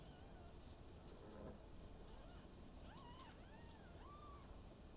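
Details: Maine Coon with a blue coat named Lala, at her first birth on 18 December 2021 at a Tokyo cattery; several thin, high, arching mews in quick succession over a steady low hum, faint and soft throughout.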